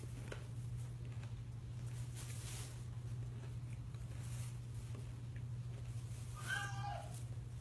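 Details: An Abyssinian cat, playing and watching TV indoors, gives a single short meow near the end, over a steady low indoor hum.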